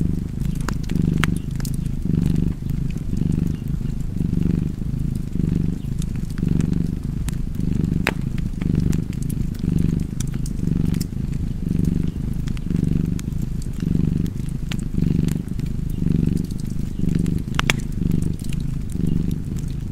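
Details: Cat purring beside a crackling fireplace: a deep, steady rumbling purr that swells and eases roughly once a second with each breath, while sharp pops and snaps of burning wood punctuate the background.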